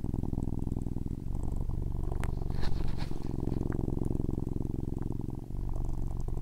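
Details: Loud, continuous domestic cat purr, a low rumbling buzz with fine rapid pulses and steady level throughout, broken by a few faint clicks and rustles.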